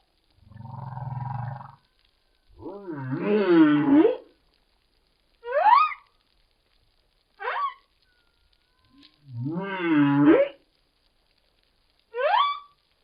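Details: Humpback whale song phrase recorded by hydrophone: low moaning groans, a deep rumbly croak, and short high rising cries.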